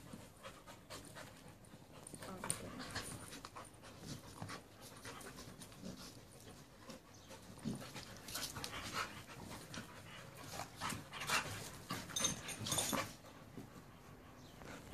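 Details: Two male dogs, a pit bull and a rottweiler, playing together; rapid breathy panting and scuffling bursts with short sharp noises throughout, loudest around the middle and near the end.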